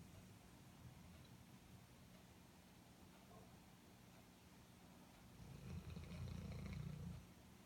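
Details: A sleeping Airedale Terrier snores softly; a low, rumbling breath swells near the end into a louder, longer drawn-out snore over faint steady room hiss.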